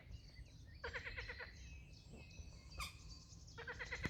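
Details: Frog calling at dawn from a pond fully covered in green, met during a morning hike: two rattling, pulsed croaks with evenly spaced buzzy beats, about half a second each and three seconds apart, over faint bird whistles and low rumble.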